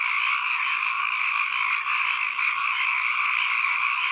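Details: Dense chorus of calling frogs in an ambient recording, overlapping croaks fused into a steady two-toned drone, with a brief dip in loudness near the middle and no other sounds.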